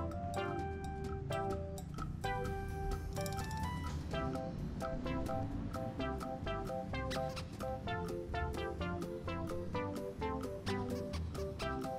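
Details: Plucked guitar music with a steady low backing plays throughout, with no animal sounds.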